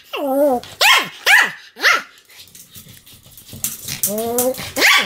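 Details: Pomeranian barking in a continuous series, about two barks a second: sharp high yaps, a pause with faint low background noise, then a longer whining bark and more yaps.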